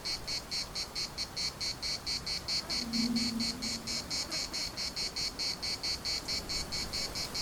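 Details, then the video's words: A chorus of cicadas in the Larnaca municipal park gives a throbbing, high buzz in regular pulses; a brief low hum rises in the middle, then fades. "CICADAS at the municipal Park Larnaca"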